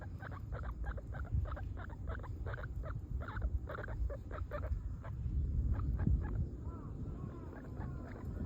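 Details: English guinea pig kept as a pet, filmed 7 January 2025: rapid series of short repeated squeaks, about three per second, with a few upward-sweeping whistled squeals near the end over a low background rumble.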